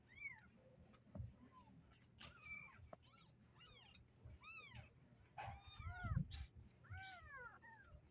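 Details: Several caged kittens meowing as they try to escape. High, arched meows overlap and repeat throughout, some rising then falling, with a low background rumble and a few soft knocks.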